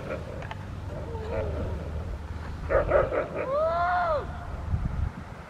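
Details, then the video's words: Foofy, a 13-month-old female Rottweiler in protection training for ZTP and IGP1, April 10, 2021: two short, sharp barks, then a drawn-out whine that rises and falls. Low engine rumble and faint speech run underneath. "Rottweiler protection training"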